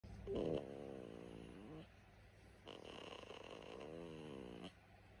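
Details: Whippet puppy named Finan napping, snoring in two long drawn-out breaths, each a buzzy, rasping rumble lasting about two seconds with a short quiet pause between them, in a quiet indoor setting.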